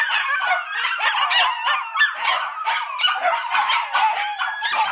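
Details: Miniature Dachshunds, a mini breed, give a dense, continuous chorus of high, overlapping yelps and whines with no pauses, several voices crowding together across the whole stretch.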